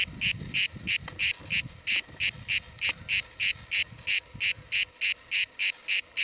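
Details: Buzzy pulsed calling of a cicada near Cahors, France, in July 2017: evenly spaced rasping bursts about three per second, over soft low rumbling background noise.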